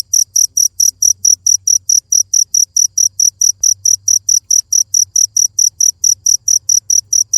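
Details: Cricket calling in a continuous train of piercing, evenly timed chirps, about four a second, over a low background drone.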